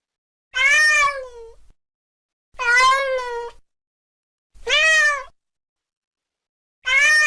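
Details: Cat calls meant to scare rats from a house: a string of four meows about two seconds apart, loud and harmonic, the first two trailing into long falling tails, the last cut off at the end.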